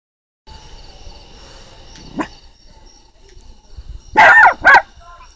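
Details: Puppy barking at the sound of a frog: a faint bark near two seconds, then two loud, harmonic barks close together near the end, with a steady high electronic-like hum throughout.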